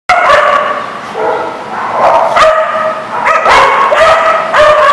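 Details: Dog recorded on 23 December 2019, giving loud, tonal, ringing barks and drawn-out yelps in quick succession, each with strong stacked overtones and some sliding in pitch, over a steady background hum.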